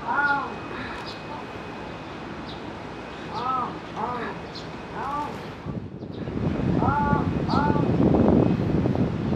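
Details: A Pallas's cat at Higashiyama Zoo in Nagoya gives short, arched, yelping calls, often in quick pairs, calling eagerly to another Pallas's cat as if appealing to it.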